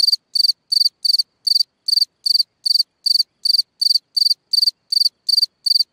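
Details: At night a cricket sings from a hole in the ground, repeating sharp, high, buzzy chirps of a few rapid pulses each, close to three per second, very regular and undisturbed by other sounds.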